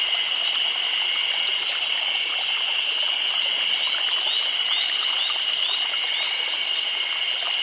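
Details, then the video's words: Cicada chorus in summer in Nagano Prefecture, Japan: a dense, unbroken high-pitched drone holding steady throughout, with faint chirping notes scattered above it. "Chorus of Cicadas"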